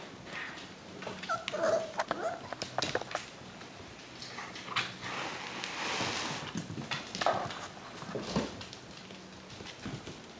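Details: Indoors, Alaskan Klee Kai puppies aged six weeks whimper twice, once early and once later. The brief, thin whimpers sit among rustling, shuffling and handling noise.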